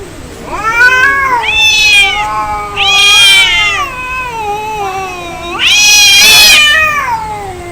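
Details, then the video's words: Angry cats during a fight, a continuous run of drawn-out rising and falling yowls, with harsh, noisy screaming peaks around the third and sixth seconds. "Angry Cat Fight Cats Sound Effect Real fight Of cats Audio"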